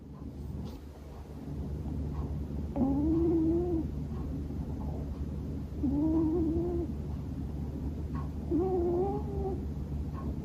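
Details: Male Scottish Fold cat, born January 2020, snoring loudly while asleep indoors: three voiced, slightly rising, wavering snores about every three seconds, over a steady low household hum.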